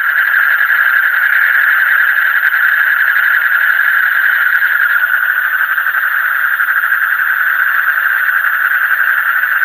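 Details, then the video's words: Deep-night frogs in full chorus, their quick pulsing calls merging into one even, buzzing wall of sound. Faint high whistled tones come and go above the steady drone. "Call of the frog in the deep night"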